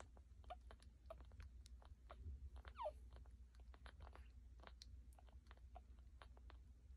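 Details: One-day-old puppies nursing from their mother Hilda indoors: a steady patter of wet suckling clicks throughout, with one brief high, wavering squeal near the middle over a low background hum.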